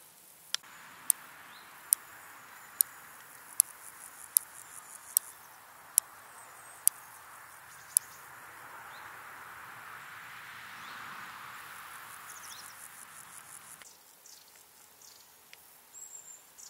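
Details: Large Marsh Grasshopper, Stethophyma grossum, in marshland in the Vendée, France: sharp, dry ticking clicks spaced roughly a second apart, about ten within eight seconds, over a soft steady hiss, then faint rustles and quiet.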